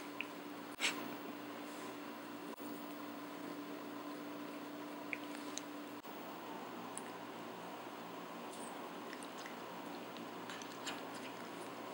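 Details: Quiet indoor room tone with a steady low hum and faint scattered clicks and soft squishing sounds, with no animal voice.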